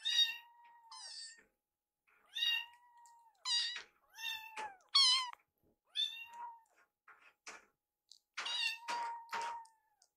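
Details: Young rescued kittens in foster care at feeding time, one nibbling leftovers from another's bowl. A rapid run of about ten short, high meows, some sharply rising, with small clicks and taps of eating between calls.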